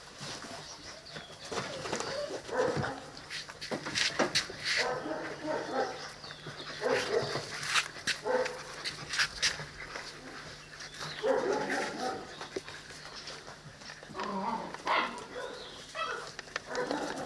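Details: A litter of Presa Canario and Cane Corso puppies aged seven weeks makes brief whiny yips and squeals in clusters about a second long, separated by pauses, with frequent sharp knocks and rustling movement noises throughout.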